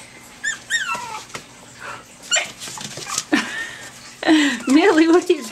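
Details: Litter of Pomeranian puppies, five and a half weeks old, recorded in February 2013: high thin whines and squeaks, some falling in pitch, with a rising, wavering whimper near the end and soft human voices.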